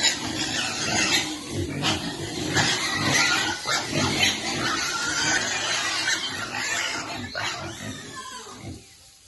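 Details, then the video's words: Domestic pig feeding its piglets, with water nearby; dense overlapping grunts and snuffling oinks pour out almost continuously, harsh and broadband, with a few louder squeaky bursts before fading at the end. "Pig's favorite water, and feeding lovely piglet every day."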